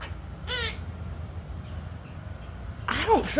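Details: Squirrel calling while it harasses an unbothered house cat: one brief, falling, harmonic whine, then a quiet stretch of low hum, and a human voice starting at the end.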